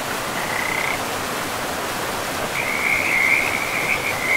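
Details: Frogs by a river in a pristine forest: a short high trill in the first second, then a longer, steadier pulsing trill from midway to the end, both over constant rushing river water.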